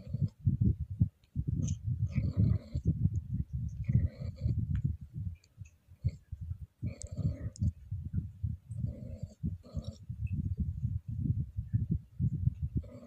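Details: Female Scottish Fold cat in heat, stroked lightly, keeps up a deep, grating throat moan in dense pulses, broken by a few brief brighter rasps and short pauses.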